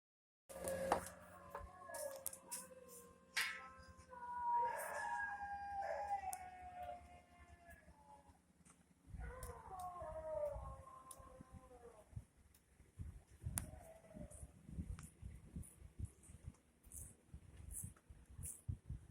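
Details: An Indian dog gives long, wavering, mournful howling cries that slide downward, followed by quieter whines and clatter.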